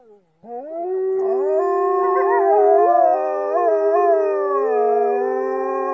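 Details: After a brief pause, Norwegian wolves launch into a group howl, several voices entering and holding long sustained tones at different pitches with gentle wavers and bends.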